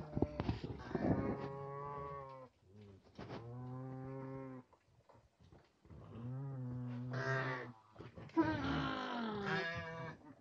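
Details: Farmed nutria: a young male put in with eleven females, guarding the food. Several deep, drawn-out harmonic moans of about two seconds each, separated by short pauses. A harsher, higher call comes near the end.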